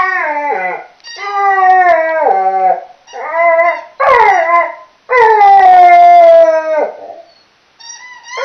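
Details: Loud howls from Millie the chocolate Labrador as she plays with her squeaky toy, several drawn-out tonal notes with falling tails separated by brief gaps, one long steady howl near the end.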